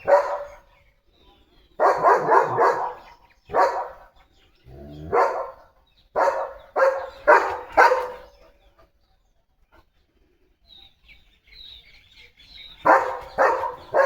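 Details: Pet German Shepherd dog at home, excited as a parcel bought for him arrives; loud harsh barks in bursts, some doubled, about two per second at times, with a quiet gap in the middle and a woman's voice.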